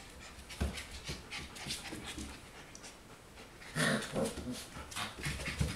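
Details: Four-week-old puppies breathing in quick, breathy bursts, with a few faint squeaky whimpers around the middle and soft indoor background noise.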